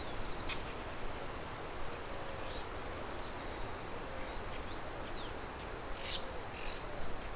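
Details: Crickets in nature, heard with birds and a mill murmuring in the background; a dense, continuous high-pitched trill steady throughout, with faint bird chirps at intervals.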